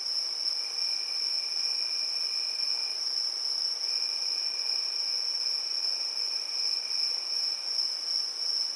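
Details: On a summer evening, crickets trill steadily in a high, continuous shimmer with a fainter lower band pulsing beneath.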